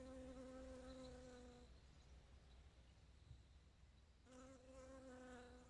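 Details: Bee collecting nectar and pollen, flying close by: a loud, even droning buzz for under two seconds, then a quiet gap of rustling, then the hum returns strongly near the end.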